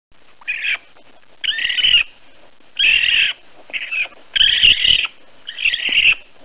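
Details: Baby raccoon giving six harsh, high squealing chirps, each under a second, separated by short silent gaps; no other sounds.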